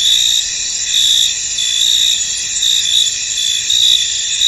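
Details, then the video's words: Crickets in a misty field keep up a constant high trilling background while louder chirp pulses come in roughly once per second. "Tranquil Cricket Sounds In An Misty Field"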